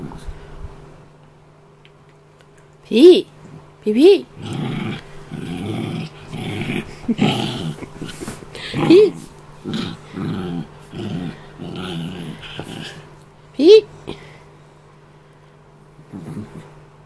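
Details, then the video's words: Australian terrier cross dog guarding his toy indoors: low growling runs broken by sharp rising yelps and snaps, with a person speaking softly in between and a steady low hum underneath. "Don't touch my toy"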